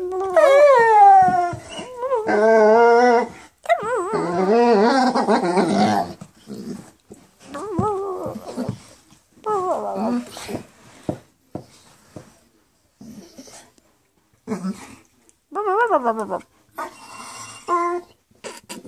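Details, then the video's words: Bernese Mountain Dog "talking": a long series of warbling, wavering howl-moans and grumbles in bursts of one to three seconds, pitch bending up and down, with short pauses and a few sharp yips near the end. "Bernese Mountain Dog Talking"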